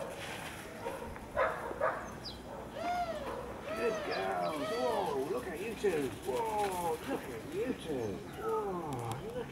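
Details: Welsh Springer Spaniel puppies from Ruby's litter fetching a dummy and bringing it back on their first recall; a run of high, wavering whines and yelps, rising and falling in quick succession, with soft human voices.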